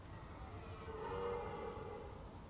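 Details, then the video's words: A red deer stag bellows at dawn in the state forest of Chantilly, a drawn-out, hoarse roar that swells and then fades. "Brame du cerf en forêt domanial de chantilly au lever du jour"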